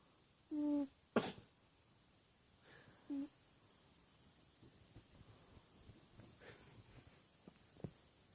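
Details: Sleeping pet cat giving two brief whistled snores about two and a half seconds apart, split by a sharp rustling thump. Faint ticks and soft movement noises fill the quiet room afterwards.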